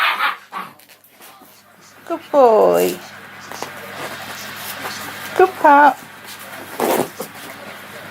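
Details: Six-week-old Anglo Wulfdog puppies from Magic's 2017 litter, with recorded loud noises played to desensitise them; high wavering whimpers in a descending harmonic stack, a later pair of short yelps, and a person praising them.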